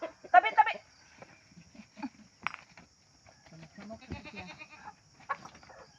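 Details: Pet goat being treated by its owners in a rural setting: one loud, wavering nasal bleat at the start, followed by people talking in Filipino and handling noises.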